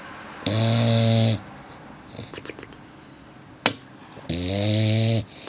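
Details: English Bulldog snoring while asleep indoors: two loud, droning snores with a low buzzy hum and stacked harmonics, each lasting about a second and roughly four seconds apart, with quiet rustles and a sharp click in between.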